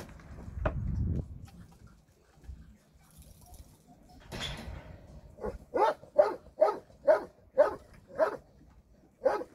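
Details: Dogs at a shelter on a Sunday volunteer visit; after about five seconds of low murmuring and faint noise, a run of about eight sharp, evenly spaced barks arrives in quick succession.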